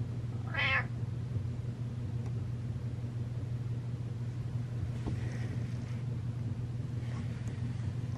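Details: A single short, bright meow from Butters the house cat as it walks up, followed by several seconds of quiet room tone with a low hum and faint soft noises.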